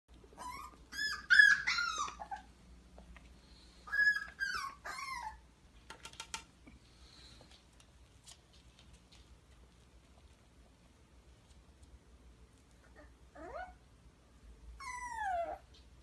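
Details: Puppy wearing a diaper for the first time, giving high, thin whimpers and whines in short bursts, some sliding downward, separated by long quiet stretches with faint rustling indoors.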